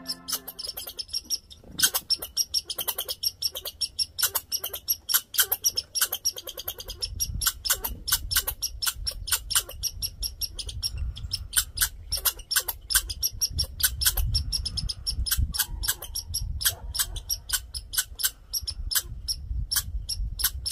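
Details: Grouchy male red squirrel raising a fuss, demanding attention: rapid, dry, broadband chattering pulses repeated in long, fast bursts, with a low rumble of wind or handling underneath.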